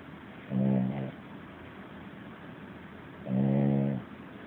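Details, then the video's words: Dozing puppy giving two loud, harmonic, nasal snores about three seconds apart, each under a second long, with only faint room hiss between them. "Cute Puppy Sleeping and Snoring Louder Than A Man!"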